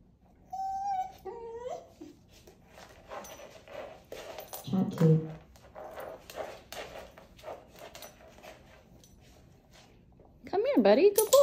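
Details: Siberian Husky puppy from the Pacific Northwest, known for chatty vocalising, opens with a short whining yodel. Stretches of tapping and rustling follow, and a final burst of wavering howl-talk comes near the end.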